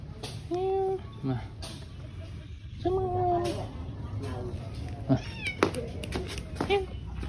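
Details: Cat named Tei Tei at a pagoda meowing twice, each a steady, sustained tone less than a second long, about two seconds apart, followed by a shorter cry, with human voices and scattered clicks and knocks around it.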